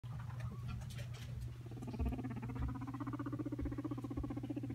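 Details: Pet guinea pig, annoyed despite sounding cute: a low, buzzy pulsed rumble that builds from about one second and continues in rapid, slightly uneven beats to the end, over a steady low hum.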